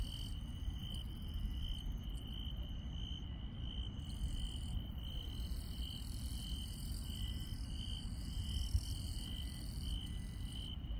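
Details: Night insects in rural countryside keep up an evenly pulsed high trill, beating in rapid regular bursts, while thinner, higher chirps overlap in patches; a low background rumble persists underneath.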